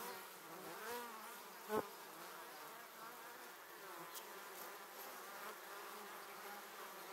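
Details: Swarm of honey bees heading into their hive, passing very near the recorder: a steady layered buzzing drone, pitch wavering as bees come and go, one loud knock near the start.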